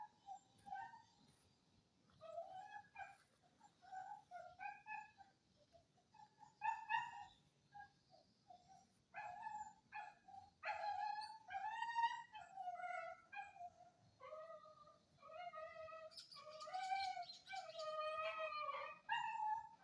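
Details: Indonesian village dog recorded on Friday 18 November 2022, giving a long run of high, squeaky whimpers and yips. The short notes are repeated several times a second in irregular bursts. The room is otherwise quiet.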